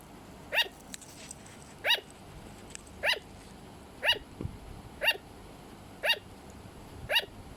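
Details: Sugar glider kept as a pet, uttering short dog-like yaps roughly every second, each bark clipped and ringing, with faint soft rustles in the pauses.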